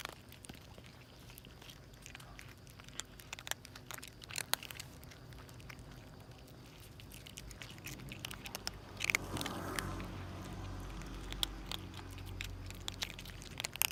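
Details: A famished stray cat family, mother and two kittens, wolfing down a meal; rapid, irregular crunchy bites and chewing clicks, with a louder rustling burst about two-thirds through.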